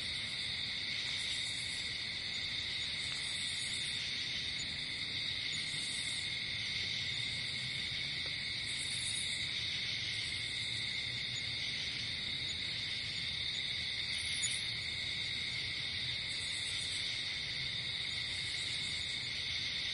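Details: Crickets calling at night in a natural setting: dense, constant high-pitched trilling throughout, overlaid by short higher bursts repeating every couple of seconds.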